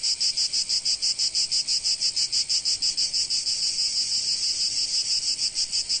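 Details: Provence cicadas in summer sun, a shrill electric buzz beating in clear regular pulses about three per second, the throb sharply marked and unchanging throughout.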